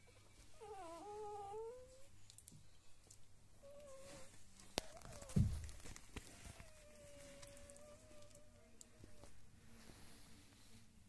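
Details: Five-day-old Lagotto Romagnolo puppies indoors, one giving thin, wavering whines that rise and fall in short bursts, then a longer drawn-out whimper, with a sharp knock midway and soft room rustling.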